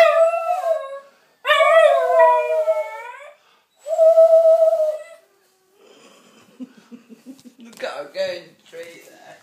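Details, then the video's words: Dog singing along indoors: three long, steady howls in a row, followed by quieter human voice and a few short rising yelps at the end. "singing with dave"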